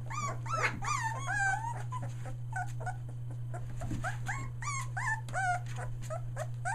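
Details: Three-week-old Australian Shepherd puppies, merle, finding their voice; a litter of high whining squeals and yelps rising and falling in quick overlapping bursts, several pups at once, over a steady low electrical hum.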